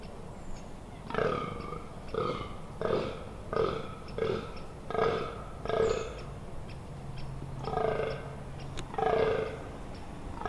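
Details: Rutting fallow deer in the Amsterdamse Waterleiding Duinen dunes, Netherlands, 18 October 2021: a steady run of deep, hoarse burping groans, about one per second, nine or so in a row, with faint bird notes behind.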